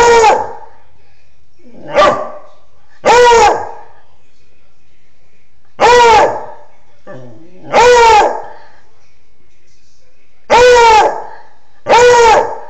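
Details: A beagle gives short, rising-and-falling baying howls ("baroo") in quick bursts, a second or two apart, from a front window at sirens and passers-by, scaring off a Foxhound beside it.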